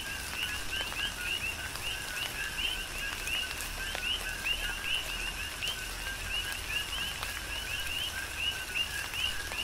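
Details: Chorus of coqui frogs in tropical rain, Big Island of Hawaii. Many callers overlap, each giving a quick two-part note that jumps upward, repeated in a steady rhythm over the soft patter and hiss of falling rain.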